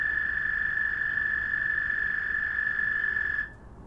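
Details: Frogs calling to each other at night give a continuous, even, high-pitched trill that cuts off abruptly near the end, leaving only a faint background hush.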